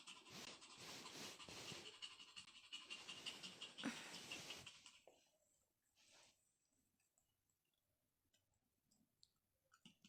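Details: Pet Pomeranian Dudu, nervous about a newly bought toy: quick, fairly regular huffing pants, about three per second, fill the first five seconds before fading to near silence with faint scuffs.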